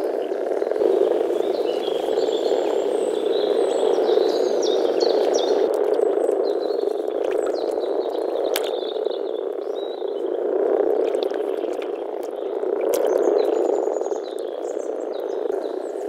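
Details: Early-spring mating gathery of European common frogs in a forest pond, males producing a continuous deep grumbling chorus that rises and falls in waves, accompanied by birdsong and occasional sharp clicks.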